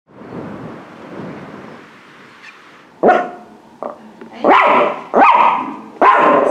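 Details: A small miniature pinscher–Chihuahua mix, in pain at the left shoulder, gives a low rumbling growl then sharp, snappy barks, resisting tick removal at a vet while muzzled and held.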